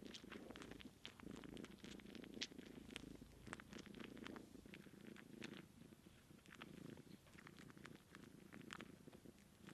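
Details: Kitten trying to nurse from her aunt, who currently has no kittens, so the sucking is dry. A low purr hums steadily while many sharp sucking clicks repeat irregularly on top.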